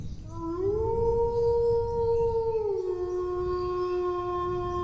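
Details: One long dog howl swells upward and holds a bright, even pitch for about two seconds. It then drops to a lower, softer sustained note, with low background rumble underneath.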